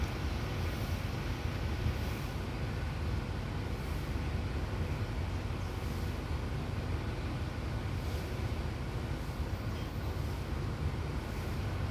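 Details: Constant broadband outdoor hiss and low rumble, like distant traffic, with no animal sounds.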